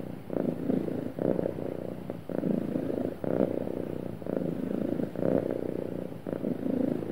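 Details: A happy house cat purrs smoothly, its low vibrating hum divided into even breathing cycles of roughly one second, gentle swells and short dips, clean quiet surroundings.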